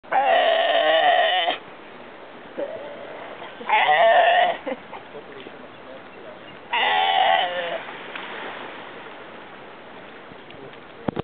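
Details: A Galapagos sea lion gives three loud, wavering, bleat-like calls, each about a second long, a sound heard everywhere in the Galapagos.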